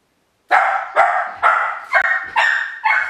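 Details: Miniature Pinscher YLVA, home alone outside her kennel for the first time, barking from the hall in a rapid run of six sharp, high barks, roughly two per second, with nothing else audible.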